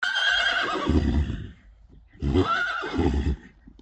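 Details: Friesian horse at a stable yard, filmed around lunging work, giving two loud harmonic neighs, each about one and a half seconds, separated by a short pause, with low rumbling snorts underneath.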